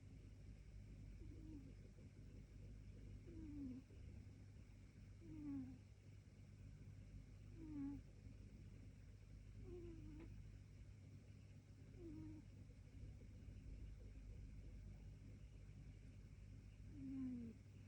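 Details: A gentleman cat born in 2013 sleeping quietly indoors, snoring softly with a low rasping breath repeated about every two seconds, each breath bending downward, over a steady low hum and no music or narration.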